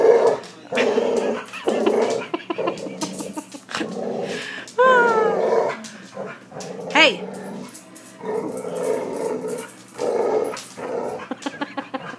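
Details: Boxer dog, left with a hiccuping bark by puppyhood kennel cough, growling and giving choppy barks indoors; two rising whine-like sweeps stand out midway, and a person speaks throughout.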